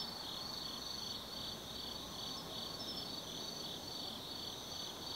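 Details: Autumn insects calling at night in the forest of Tsukimi no Mori, Kaizu, Gifu, Japan, 180 m above the lit Nobi Plain: steady high trilling bands with a pulsing, shimmering upper chirp, over a faint low rumble.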